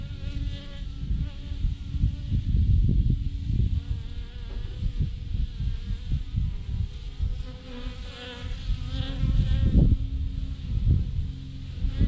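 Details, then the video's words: Swarm of thousands of honey bees hanging in a massive clump on a branch, giving a dense, continuous low droning buzz that swells and fades, with scattered louder knocks and bumps. "thousands of BEES hanging on a branch in a massive clump"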